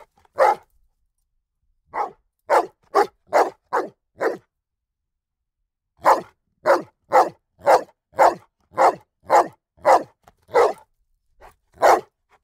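A ridgeback cross bullmastiff barks repeatedly in deep, punchy single woofs, sometimes in quick runs.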